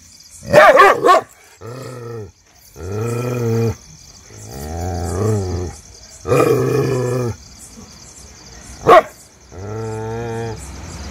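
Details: Shiro, an adopted street dog, reacting to unknown people: an opening burst of sharp barks, then long, drawn-out, wavering growling tones alternating with a single sharp bark near the end, with a steady faint hum behind.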